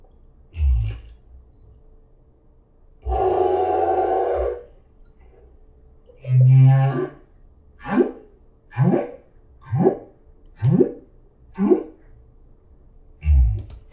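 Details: A solo humpback whale singing at the Silver Bank, Dominican Republic, in 2015: low grunts, a long rasping moan, then a run of quick rising whoops, part of a song with repeated sections consistent in pitch and timing.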